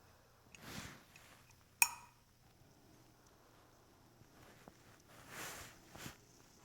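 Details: Domestic cat named Mimi snoring while asleep at midnight on January 1, 2016; two soft, breathy hissing snores come about five seconds apart, with a sharp click between them in a quiet indoor room.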